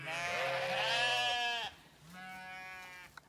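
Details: Zwartbles ewes on a regenerative farm in County Kilkenny, Ireland, called to move to the long acre after most of the lamb flock was separated from them; one long harmonic bleat, a pause, then a second shorter bleat.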